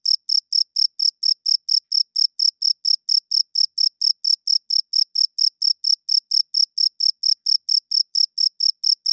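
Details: Cricket chirping at night, males calling to attract females and hold territory: a very regular train of short, high, ringing pulses, roughly two per second, continuing evenly throughout without other noise.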